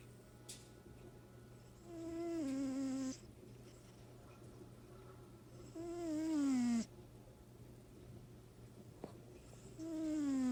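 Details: A pet cat snoring indoors: three drawn-out, whistly nasal breaths spaced about four seconds apart, each sliding downward in pitch with a buzzy overtone, over a steady low electrical hum.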